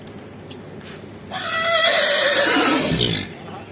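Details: Arabian horse during a morning ride gives one loud neigh lasting about two seconds, a bright quavering tone rich in overtones that slowly sinks in pitch and fades, preceded by a few faint knocks and clicks.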